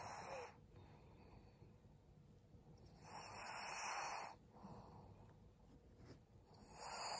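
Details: Maria, a 12-year-old fawn female senior pug in Japan, resting in December; soft, noisy breaths swell and fade in slow bursts roughly every three seconds, with a faint steady background hum.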